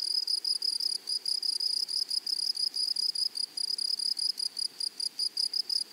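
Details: Meadow grasshoppers call in clearly separated bursts of shrill, high buzzing, each lasting about a fifth of a second and repeated roughly four times per second, with soft background hiss.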